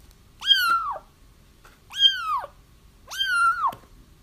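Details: Three similar kitten mews, each rising quickly then sagging, repeated about every one and a half seconds over soft background noise; crying used to attract a feral mother cat into a trap.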